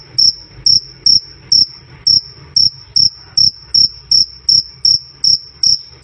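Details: Cricket "krik krik" chirps, loud and clear, played as tutor audio for birds: piercing high pulses about two and a half per second, spacing slightly uneven, with soft low background rumble.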